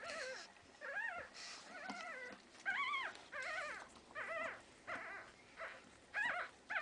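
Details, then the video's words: One-week-old Pekingese puppies in Tallinn, Estonia: thin, high, arched squeaks and whines, about ten short cries scattered irregularly, some faint, against a soft background hiss. "Pekingese puppies 1 week old"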